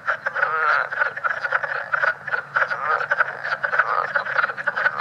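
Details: Overlapping leopard frogs at Great Swamp National Wildlife Refuge, a newly discovered form from New York and New Jersey with a different call, produce a continuous rattling chuckle of many quick croaks, with louder bursts standing out from the crowd.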